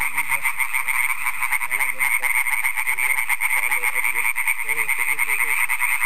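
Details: An extremely loud chorus of European tree frogs (Hyla arborea), an introduced population about 10 km south of Aarhus, Denmark, gives rapid rattling croaks massed into a continuous pulsing din on a May evening (15 May).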